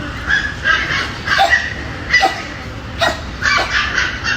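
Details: Angry Dobermann barking in a quick series of sharp, mid-pitched barks, several bursts closely spaced over a few seconds, some overlapping as if more than one dog.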